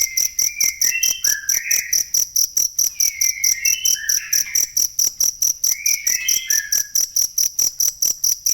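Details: Cricket sound used for masteran, training songbirds: continuous shrill pulses at an even rapid rate, overlaid by groups of warbled, slurred bird whistles at about three-second intervals.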